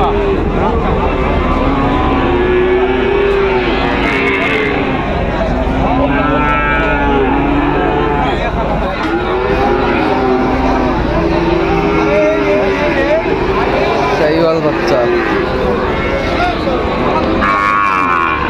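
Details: Sahiwal bull calves at Raniganj livestock market in Dinajpur, 29 August 2024, giving a series of drawn-out, arching low moos every few seconds over constant crowd chatter, loud voices and engine noise.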